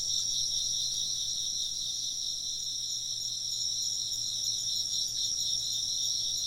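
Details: Ambient chorus of chirping insects for work or sleep, rendered as rapid, shimmering high-pitched trills that overlap into a seamless, softly throbbing wall of sound with no pauses.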